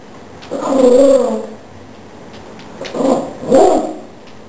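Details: Yoda, a pet Chihuahua, defends the household indoors against a cockroach: one drawn-out, harmonic growl of about a second, a pause, then two shorter rumbling growls in quick succession.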